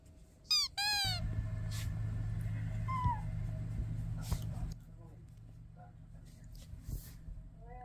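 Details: Curious indoor house cat meowing: two loud, quick rising-then-falling meows near the start, a softer short mew in the middle and a faint one at the end, over a steady low household hum.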